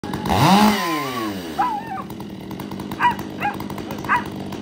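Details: Siberian Husky howling in response to a revving chainsaw: a loud chainsaw roar opens, then wavering, bending howl notes rise and fall in short bursts around one, three and four seconds.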